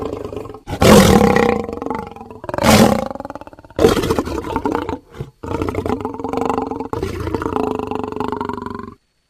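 A lion gives deep, rasping roars that swell and fade, followed by long throaty grunting moans.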